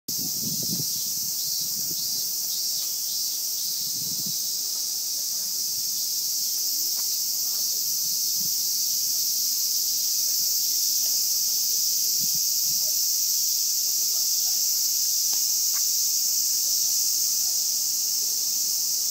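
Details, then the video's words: Japanese cicadas: a loud, continuous, high-pitched hissing drone runs unbroken through the whole stretch, with faint low thumps and rustles underneath. "Cicale giapponesi"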